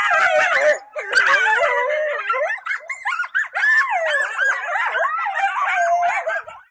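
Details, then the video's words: A pack of coyotes howls together on New Year's Eve at Cedar Mountain Scientific and Natural Area, Redwood County, Minnesota, recorded by a camera trap: wavering, sliding voices overlapping with sharp yips. "Minnesota Song dogs"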